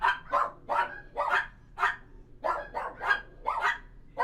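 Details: Dogs inside a kennel barking in quick, sharp bursts, about a dozen barks in four seconds, some overlapping as several voices answer one another, with a faint low hum behind.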